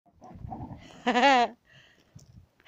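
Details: Sam, a Border Collie playing with a ball, gives one loud, wavering high whine lasting about half a second, after softer low huffing breaths and faint murmurs.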